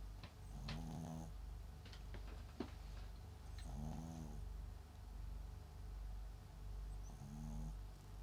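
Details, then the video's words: Sleeping MAX, a Papillon and Japanese Chin cross, gives three gentle buzzing snores roughly three seconds apart, each a short vibrating rasp, with faint clicks and rustles in between and a constant low background hum. "【パピヨン×狆】パピちんＭＡＸくん寝顔といびき MIX犬"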